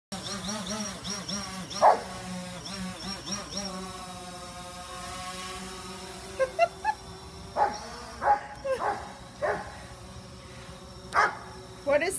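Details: Giant Schnauzer chasing a drone: a few whining tones at first, then sharp, scattered barks in short bursts, over the steady humming whine of the drone's motor.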